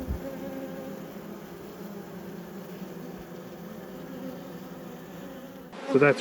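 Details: Honey bees in a beekeeper's apiary during a hive inspection, a steady low drone humming without a break for nearly six seconds before a short burst of human voice cuts in at the end.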